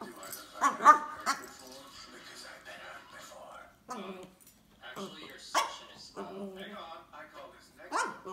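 A French Bulldog complains in a string of grumbling, talk-like whines and groans that rise and fall.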